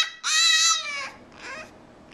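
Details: Male French Bulldog singing the blues when not allowed to come out and play: one high, strongly harmonic whining note about half a second long, then a fainter, shorter second whine.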